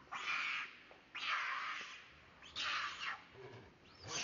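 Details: A chased monkey cries for help with long, loud, harsh screams, three main bursts each lasting around half a second, separated by short pauses, the last one rising and fading.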